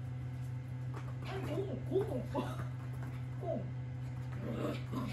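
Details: Female mixed-breed puppy named Boksoong, adopted from a shelter and kept home before finishing vaccinations, playing indoors with toys; short high whimpers and yips in quick irregular bursts over a steady low hum, with a voice speaking in the room.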